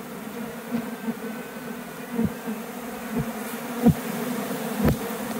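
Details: Flying honey bees around a hive box after a swarm left a nearby tree and returned; continuous low hum with short, louder buzzes roughly once a second as individual bees fly past.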